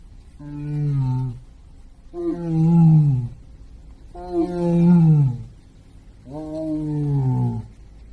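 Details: White tiger at Hirakawa Zoological Park in Kagoshima, Japan, recorded in September 2024, giving four deep, moaning calls, each about a second long and dropping slightly at the end, spaced roughly two seconds apart, with little else audible.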